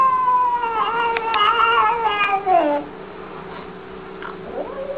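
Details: Cat from a funny compilation of cat videos, giving a drawn-out, harmonic wailing meow that rises then slides downward over about three seconds, followed by quieter fainter cries and a low steady hum.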